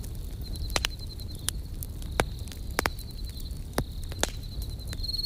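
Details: Around a crackling campfire, crickets give high, rapidly pulsed chirps in bursts separated by brief pauses. Frequent loud snaps and pops from the fire cut through a soft low roar.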